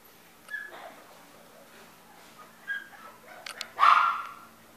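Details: Chihuahua giving a few sparse, high-pitched yips, with a louder, sharper bark near the end and quiet gaps between calls.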